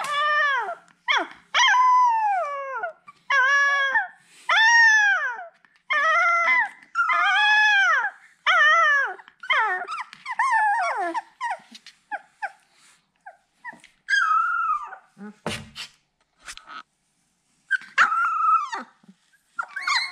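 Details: Siberian Husky (Canis lupus familiaris), whine: puppies calling because they cannot find their mother.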